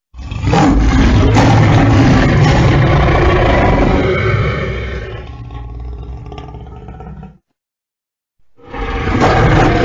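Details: A lion gives a deep, rumbling roar that fills about seven seconds, stops briefly, then starts again.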